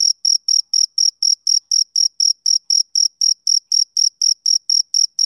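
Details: One male cricket sings on a summer evening, each chirp a clean, piercing high note, roughly four per second in a regular beat against total quiet.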